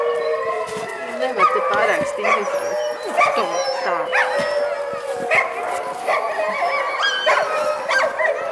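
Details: Several Alaskan Malamutes with packs waiting to set off on a five-hour trail hike from Mežpils. The pack gives a steady chorus of overlapping whines and howls, with sharp yelping bursts roughly every second over a continuous wavering tone.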